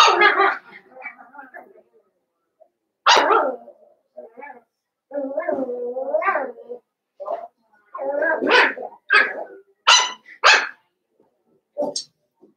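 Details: Litter of five blenheim Cavalier King Charles Spaniel puppies, born around New Year's, in a home puppy pen. Irregular bursts of shrill barking and rising-falling yelps are broken by short pauses. Voices murmur in between.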